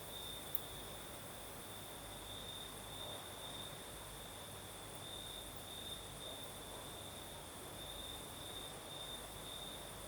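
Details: Crickets singing at night in southern Crimea with a night breeze: a steady high trill, broken into short pulsed stretches, holds on one pitch throughout, with a fainter, higher hiss above and a low breezy rumble beneath.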